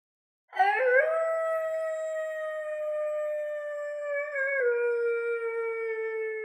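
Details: German Shepherd, a farm dog that fetches sticks from a farm pond: one long, steady, tonal howl lasting about six seconds, wavering briefly near the end and slowly falling in pitch.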